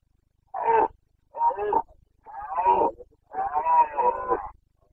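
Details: Carpathian red deer stag roaring in Bucovina's mountain forests during the breeding season, 29 September 2022; four hoarse, harmonic-rich bellows in a row, each about half a second to over a second long, separated by short pauses, over a quiet background.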